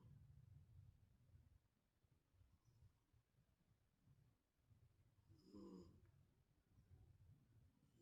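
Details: Stray cat asleep, its snoring growing heavier: a steady low rumbling snore pulses throughout in a quiet room, with one brighter nasal snort around five and a half seconds.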